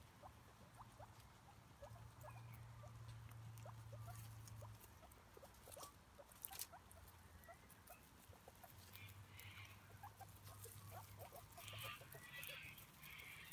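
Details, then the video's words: Cavies, five of them, feed on grass outside: faint, irregular short chuts and nibbling clicks, a low hum that comes and goes, and a few brighter squeaks near the end. "5 Guinea Pigs Eating Grass"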